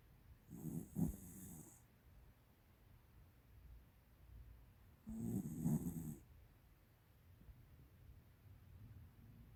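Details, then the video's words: Tiara, a 13-year-old female American Cocker Spaniel, snoring loudly in her sleep indoors: two rough, low rumbling snores about five seconds apart, each with a hissing breath, quiet room between. "ティアラのいびきが凄いwwwでも可愛い💖American Cocker Spaniel"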